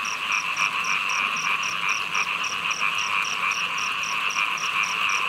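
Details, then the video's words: Heavy rain with many frogs calling at once, a buzzing, humming chorus that never pauses, and a high clipped pulse repeating at a steady quick beat above it. "เสียงเขียด- ยามฝนตก ฉ่ำ ๆ"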